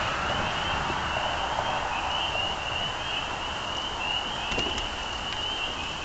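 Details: A massed spring peeper chorus forms a steady high shrill band, with a few sharp clicks and ticks late on, above a broad background hum.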